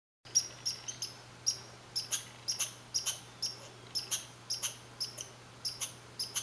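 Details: Red squirrel (Sciurus vulgaris) gives a rapid series of sharp, high, squeaky chirps over a low steady hum, 15 July 2020, Saint-Calixte, Lanaudière.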